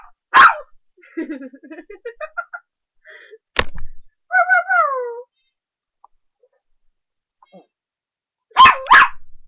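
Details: Playful 3½-month-old puppy giving a loud bark, a run of wavering whimpers, another sharp bark, then a falling whine, and a closing double bark after a quiet stretch.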